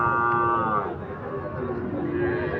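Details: A bull calf at Ambari cattle market, where Sahiwal and Gir breed calves are sold, gives a rich, harmonic moo lasting under a second that fades into the market's murmuring crowd and talk.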